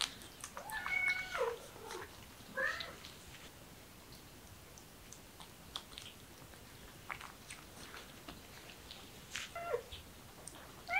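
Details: Kitten that is beginning to act affectionately, giving a few soft, thin meows that rise and bend, with a long pause in between, over quiet indoor clicks and small chewing-like noises.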